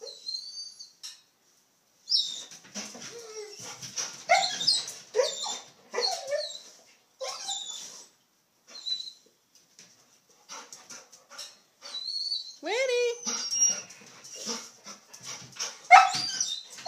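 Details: Golden Retriever jumping on a trampoline, giving scattered high whimpers and a few rising, drawn-out whines amid thumps and rustling, with quiet gaps between bursts.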